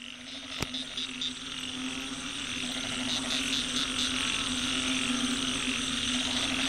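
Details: Roadside frog chorus recorded on an old smartphone: many overlapping callers give short, pulsed high notes in quick bursts above a steady low droning hum, dense and continuous throughout.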